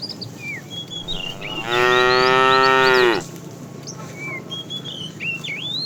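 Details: Fat cow calling the female while a tame herd is herded in the afternoon: a single long, even, richly harmonic moo of about one and a half seconds, ending in a slight drop, with bird chirps before and after.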